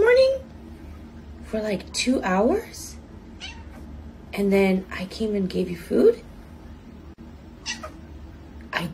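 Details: Chatty house cat producing a tumble of short, bending meows and trills in quick succession, mixed with other voices and a constant low background hum.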